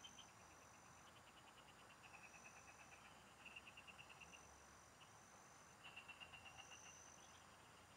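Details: Chorus of field frogs heard during a fishing trip in the provinces: repeated short trains of rapid, clicking pulses, several per second, rising and fading across the recording, with a continuous high insect drone behind.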